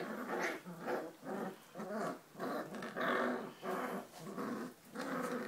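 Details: Giant Schnauzer puppies aged four weeks, from an H litter, growl in steady rasping pulses, about one to two per second, loud and coarse throughout.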